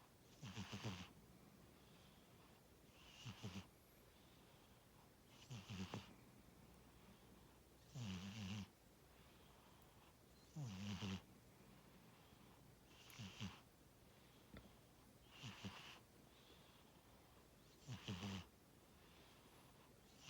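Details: Snoring from Tora, a sleeping pet cat: nine rhythmic snores, one about every two and a half seconds, each a buzzy, rattling low flutter wrapped in a breathy hiss, otherwise quiet indoors.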